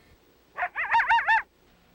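A coyote gives a brief fluctuating howl, its voice wavering up and down in pitch.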